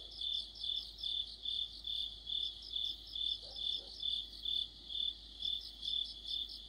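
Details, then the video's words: Crickets with other insects in an autumn night orchestra near a streetlamp, a piercing high trill throbbing rhythmically around twice a second, with two quick faint lower notes midway. "가을의 한 복판 곤충들의 합창"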